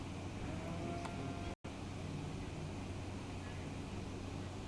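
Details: Continuous outdoor rumble like passing vehicles, with a short break partway through and no animal call.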